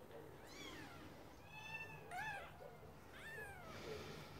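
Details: ['Faint, thin mewing from Scottish Fold kittens, three or four soft rising-falling cries partly buried in broadband background noise.']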